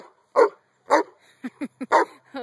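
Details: Giant Schnauzer named Jeeves playing outside with a 15-month-old toddler: loud, punchy barks spaced about half a second to a second apart, mixed with short bursts of a woman's speech.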